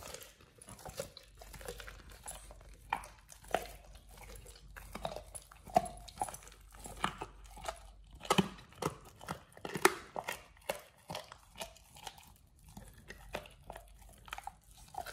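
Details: Oliang the Pit Bull crunches through a raw ostrich paw, his first, indoors. Dense repeated bone-cracking bites and wet chewing sounds come in rapid irregular bursts, sometimes with brief pauses, throughout fifteen seconds.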